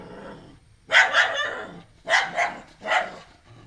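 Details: A house dog, a female, keeps barking at a stray puppy newly brought home. Three hoarse, doubled barks spaced about a second apart sound over a low background murmur.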